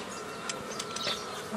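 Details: Honey bees humming steadily as nucleus colonies are made from an earlier swarm in the traditional way, 15 May 2018; a continuous droning buzz with faint high bird chirps and a few soft taps.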